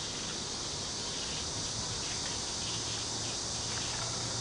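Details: Cicadas in a local park near Cheng Ching Lake in Kaohsiung, among bamboo, fill the air with a steady, high, hissing drone that barely changes from moment to moment.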